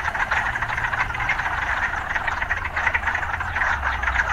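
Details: A dense chorus of frogs with occasional urban sounds: thick, rapidly pulsing croaks run without pause while a low droning hum, like distant traffic, sits beneath.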